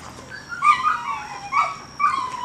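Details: A dog whimpers in three high, tonal whines, each swooping down then level, about half a second apart, while a person murmurs softly nearby.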